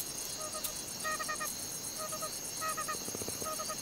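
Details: At night in the African wilderness, a bush baby gives short, nasal alarm notes in quick bursts of three or four over a steady insect hum. The calls warn of a nearby serval, a night predator.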